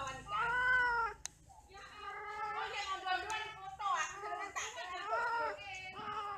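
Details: Domestic cats mating and quarrelling: long drawn wailing yowls with strong harmonics, rising and falling in pitch, one loud opening cry followed by several wavering howls, with a faint sharp click and a low hum behind.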